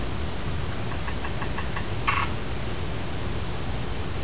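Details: A frog gives a quick rattling series of about ten short pulses over roughly a second, followed by a sharp click. Insects keep up a steady high buzzing on and off behind a constant low rushing background.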